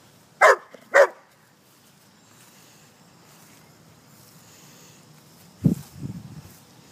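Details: Pet German Shepherd outdoors among leaves gives two sharp, loud barks half a second apart, then a long quiet stretch with faint rustling and a couple of low thuds near the end.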